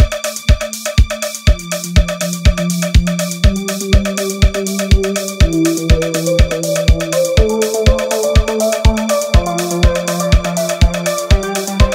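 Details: Steady electronic dance music with a drum-machine beat at about two per second, plus a repeating synth bass line and bright ringtone-like tones, and no animal voices.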